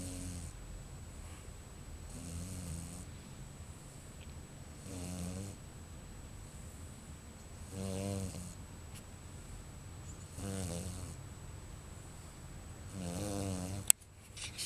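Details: Luna, a pregnant Bichon Frise at 40 days of gestation expecting about five puppies, sleeps in her bed indoors, snoring in soft low rasping breaths repeated every two to three seconds, with a faint steady hum and a click near the end.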